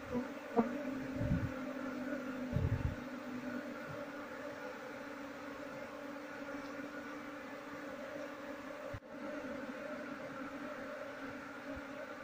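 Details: Steady buzzing drone of a honey bee colony being transferred into a keeping box without catching the queen, with a few low knocks early on and a short crackle near the end.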